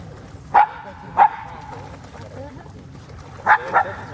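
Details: Black female Shiba Inu barking amid a pack of dogs playing in water in the Groenendaal woods: four short, sharp barks, two spaced about half a second apart, then a quick pair near the end, over low rumbling background.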